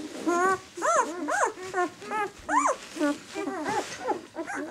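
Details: Six-day-old White German Shepherd puppies of the "of White Night" B litter, squealing in quick, arched, upward-then-downward yelps, about two per second, clear and fairly loud, with further overlapping pup cries.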